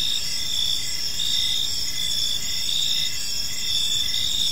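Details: Several crickets chirp in a calm park as evening falls, a bright sustained shrill band with short repeated chirps underneath coming roughly every second, plus low environmental rumble.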